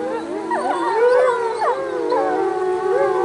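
Several wolves howl together, their long sliding tones overlapping and weaving around one another.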